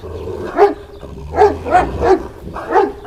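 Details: Kangal shepherd dog, not very large, on a farm in Sivas, Turkey, kept as a guardian of sheep flocks against wolves. Five deep, resonant barks in an uneven series over three seconds, with a low hum beneath.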